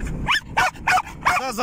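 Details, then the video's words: Riding in a car, which he loves, a male German Jagdterrier lets out four quick, high, pitch-bending yelping barks in under two seconds, over low car noise. "german jagdterrier loves to ride a car"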